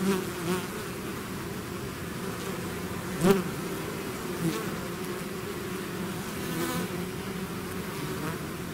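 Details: Natural buzzing of a bee swarm leaving its hive: a constant thick hum with a sharp louder buzz near the middle as one bee passes close, otherwise steady.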